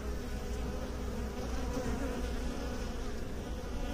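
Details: Honey bees kept by beekeepers producing a thick unbroken buzzing hum, low and steady, with layered tones and a faint higher whine.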